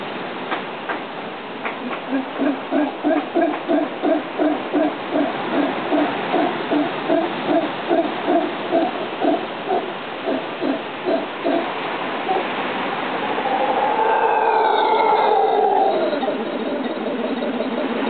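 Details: Howler monkey giving deep, hoarse rhythmic grunts, about two to three per second for eleven seconds, then blending into a longer rasping roar with a rising, whining overtone near the end.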